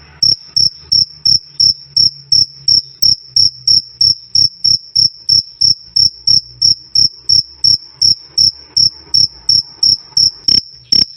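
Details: Insistent cricket chirping, "krik krik", bright and piercing, pulses evenly spaced about three per second for over ten seconds, with only a quiet low hum beneath.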